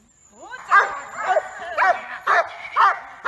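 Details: Giant Schnauzer Yukon from Blackmoore, May 2018, giving loud rising barks roughly every half second, each bark bright and ringing with a short upward sweep, a high faint whine running underneath.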